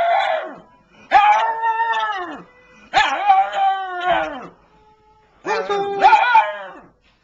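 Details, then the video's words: Pug "talks" in a funny compilation: four separate wavering, yowling phrases, each about a second long with short pauses between them. The pitch bends up and down like speech, and the voice is fairly loud. "AMAZING PUG TALKS"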